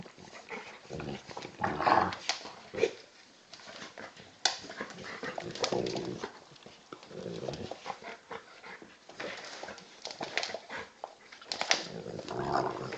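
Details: A 10 kg Old English Bulldog pup stands its ground in play against a 40 kg male Bullmastiff cross; rumbling growls, whimpers and yips rise and fall in uneven bursts with scuffing noises.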